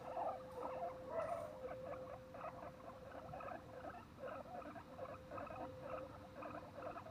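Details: Guinea pigs at Okinawa Zoo & Museum in Okinawa City, Japan, recorded on 30 April 2021, give short, squeaky chattering calls in quick bursts, about two each second.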